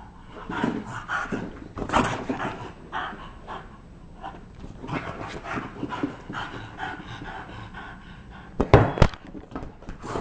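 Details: A bulldog at play in a basement: bursts of snorting, panting breaths in irregular clusters, with a sharp loud clatter of knocks near the end.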